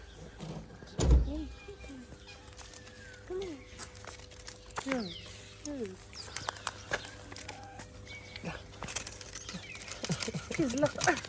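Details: Pampered kitten in Morocco, where street cats are fed, giving a run of short arched mews that rise then fall, several spaced a second or so apart, over rustling, thumps and a person's voice.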